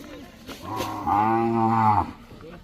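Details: A bullock gives one deep, drawn-out moo of about a second and a half, rich and steady, swelling slightly before it stops, with quiet background noise around it.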